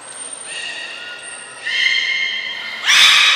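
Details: Belugas in training at Port of Nagoya Public Aquarium, 6 August 2023, with Gray, Nana and Mirai in the pool; a sustained thin whistle, then bright layered squeals that grow louder and harsher toward the end.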